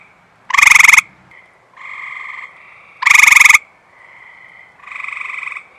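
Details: Eastern Gray Treefrog calling at close range after rain on a warm, humid night, ignoring the person beside it; two loud buzzy pulsed trills about two and a half seconds apart, with quieter distant trills filling the gaps.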